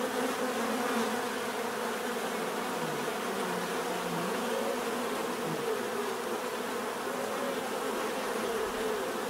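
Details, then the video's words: Bees buzz steadily in a dense natural chorus, overlapping droning tones with a few passing insects whose pitch slides downward as they move by. "bees therapy relaxing natural buzzing sound"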